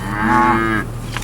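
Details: Steers from AAA Farms in Marianna, Florida, offered at the AL SAFE sale of Moseley Cattle Auction, August 2013: one full, drawn-out moo, a low tone that rises slightly and swells, then ends abruptly in low background hum.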